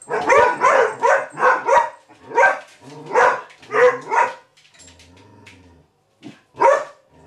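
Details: Vizsla puppy April, indoors with Maggie, the unimpressed house cat, lets out a rapid run of sharp, harmonic barks, about six in two seconds. A quieter pause and a few more yips follow, with a person's voice faint underneath.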